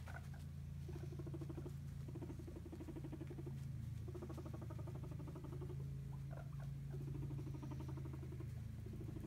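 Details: Hairless guinea pig females rumble strutting as a sign of dominance, meaning back off or annoyance between housed companions; low, steady purring rumble with pulsed buzzy bursts in several runs, close and indoors.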